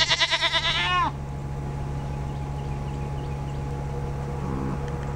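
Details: A Nigerian Dwarf Goat doe showing signs of being in heat and ready for a buck lets out one loud, quavering bleat that pulses rapidly and ends with a downward slide, then fades to a soft hum and a faint distant bleat.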